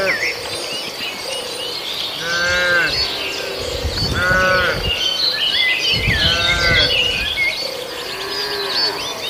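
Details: Herd of cattle grazing in a farmer's paddy; three short moos at roughly two-second intervals amid continuous bird chirping and insect buzz.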